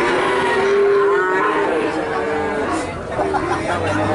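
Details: Several calves low in chorus in Nganjuk, Indonesia, their long, slightly wavering moos overlapping and running together, with murmuring voices faintly audible underneath.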